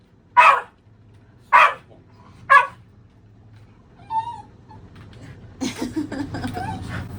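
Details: Mametaro the Shiba Inu, a pet dog shedding its coat, barking aggressively at a vacuum cleaner: three loud, abrupt barks about one second apart, followed by a faint whine and rising household rumble.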